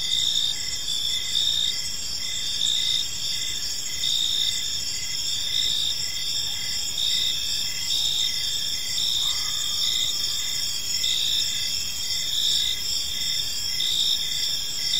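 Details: Crickets chirping in a peaceful park as evening falls: a steady high-pitched shrill trill overlaid with regularly pulsed chirps, several insects calling together without pause against a soft background hiss.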